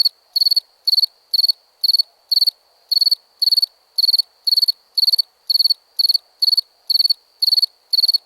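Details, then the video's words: Cricket recorded for a sound collection, chirping steadily about twice a second; each chirp is a short, shrill, high-pitched burst of rapid pulses, with no other sounds. "Cricket Sounds"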